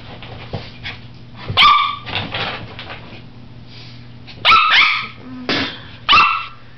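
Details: Papillon named Josie barking at a colander that scares her: four loud, high, ringing yaps spaced about a second apart after a stretch of quieter rustling, each bark short with a slightly falling tone.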